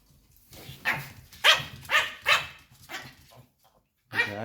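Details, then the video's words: White Pomeranian spitz, a household pet, barking loudly in displeasure as its owners get ready to leave home; a run of about six sharp, high yapping barks roughly every half second, a brief pause, then another bark. "Собака Померанский ШПИЦ ГАВКАЕТ"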